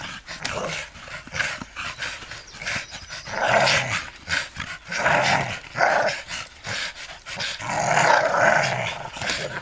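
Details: Jumping American Staffordshire Terriers, father, mother and one offspring, give a string of short, gravelly growls in bursts of about a second, separated by brief pauses, over scuffling noise.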